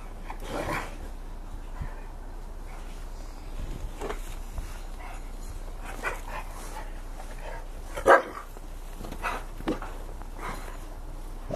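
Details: Two dogs playing in the snow, a five-year-old Rottweiler named Cassie and a ten-month-old Bullmastiff pup named Rocco; soft snuffling and rustling movement, then one sharp, loud bark about two-thirds through.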